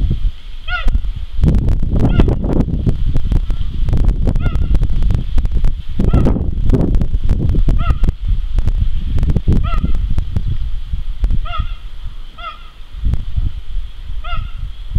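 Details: Around ten clipped, high chirps from Jango, a male cheetah at Zoo de la Boissière du Doré, 21 September 2014, repeated every second or two at uneven intervals over heavy low-frequency rumbling.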